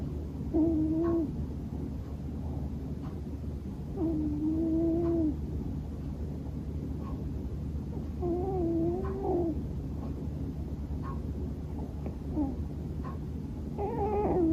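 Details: Snoring of Bono, a sleeping male Scottish Fold house cat: drawn-out, wavering voiced tones, almost like sleep-talking, come in irregular bursts above a constant low background rumble.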